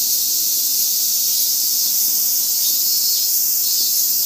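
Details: Cicadas keep up a steady, high, hissing drone that never breaks, recorded in Japan at 15:00 on 22 August 2017.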